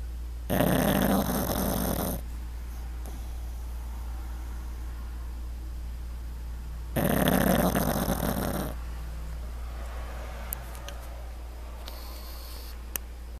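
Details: Sleeping pug lying on his back, giving two loud rasping snores several seconds apart, each lasting over a second, followed by softer wheezy breathing and faint clicks over a constant low hum.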